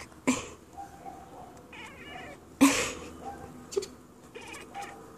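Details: A female indoor Siamese cat chatters at birds across the yard with short, clicky bursts and soft chirping murmurs.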